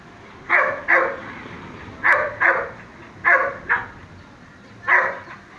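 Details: A six-month-old male Dobermann barks in quick pairs, sharp clipped woofs separated by short pauses.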